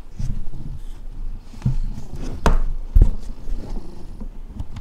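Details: A cat named Alex purring: a low, steady rumble that pulses rapidly and unevenly, broken by a few sharp knocks and clicks nearby.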